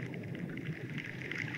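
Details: A group of sperm whales, heard via directional hydrophone in the open ocean toward Timor in the Coral Triangle, echolocate while diving to hunt squid, many clicks blending into a dense patter like a horse race.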